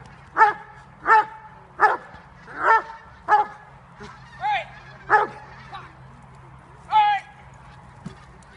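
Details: Dobermann JOVANOTTI Unreachables, almost five years old and bred in Serbia, barking during bite training in October 2015: deep, harmonic-rich barks come one after another, roughly one every 0.7 seconds, nine in all, with a steady low hum underneath.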